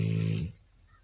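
A sleeping Rottweiler lets out a low, buzzy snore, a steady throaty rumble lasting about half a second. It stops abruptly, leaving near silence.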